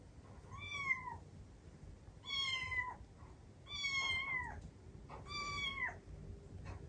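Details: Recorded kitten meows of Tsukushi, a female brown-tabby-and-white cat now two, played to the other house cats. Four drawn-out, slightly descending meows about every 1.6 seconds, steady in pitch, against a low indoor hum.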